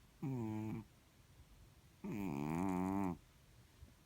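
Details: Sleeping Chartreux kitten, a blue-grey cat, snoring indoors: two voiced, buzzy snores, a short one and then a longer one lasting about a second, each with a slightly wavering pitch, separated by quiet breathing.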